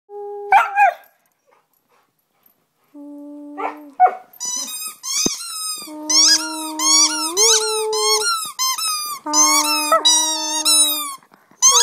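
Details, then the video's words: Pet Husky Delta singing indoors as the owner makes sounds to encourage her: high squeaky yips and wavering whine-howls in dense bursts over steady, flat lower tones that rise partway through. "Delta Howling Singing"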